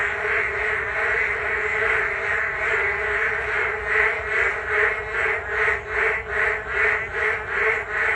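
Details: Many frogs in a loud group chorus by the Geum River path in the rain, a continuous croaking drone that breaks into clearer, slower pulses a little over once a second in the second half.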